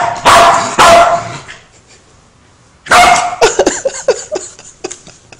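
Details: A female Welsh Corgi that hates lighters gives loud, sharp barks, then a flurry of shorter yips, reacting to a lighter amid playful Norwegian talk and laughter.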